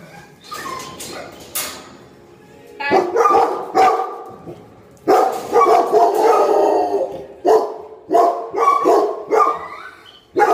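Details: Golden retrievers barking and growling aggressively as their food bowls are picked up; loud, harsh barks come in clustered bursts with short pauses between groups, after a quieter, noisy opening stretch.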